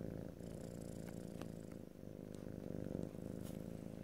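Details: Domestic cat purring in an ear-to-ear stereo recording, a steady low rumbling purr with rhythmic pulses that swell and fade slightly, close and continuous for the whole stretch, with faint soft clicks above.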